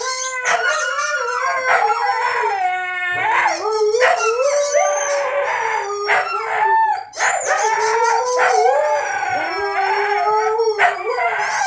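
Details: Siberian Huskies howling together indoors in response to a squeaky toy; long, wavering, overlapping howls that slide up and down, with sharper yips and a brief squeak cutting in near the middle.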